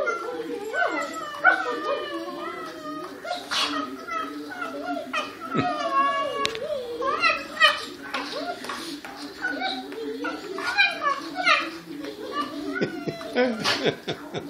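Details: Several dogs howling as a chorus, dense overlapping tonal wails bending up and down in pitch, broken by occasional sharp yelps and barks, sustained for the whole stretch.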